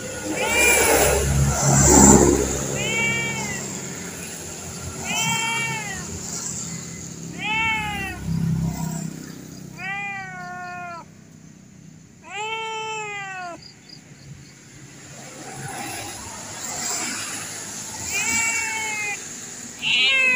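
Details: A fierce-looking but tame cat meowing repeatedly, drawn-out harmonic meows that rise then fall, some louder and longer, amid background rumble and a faint high steady tone.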